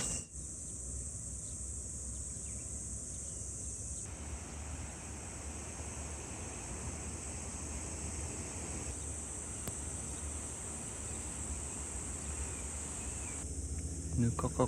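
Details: Cicadas singing early in the morning, around 6:30, on a hot summer day in Kanagawa, Japan, between Tanzawa and Shonan: a steady, unbroken high buzzing chorus over a low background rumble.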